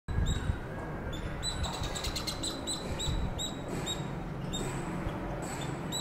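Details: Squirrel said to be calling its friends, giving high, thin whistled chirps in short bursts, some single and some in quick runs, repeated through the clip over a steady broadband rustling background.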